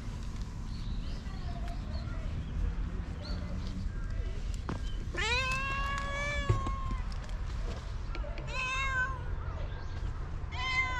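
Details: Stray cat meowing outdoors, captured on a GoPro: one long, strong wavering meow mid-clip, followed by shorter, fainter meows, over steady low background noise and soft distant sounds.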